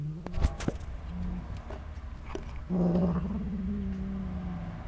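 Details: Cat making a funny noise while eating cheese: a low, droning, growl-like hum that stays soft at first, then swells louder halfway through and holds steady to the end, with a few faint clicks and chewing sounds early on.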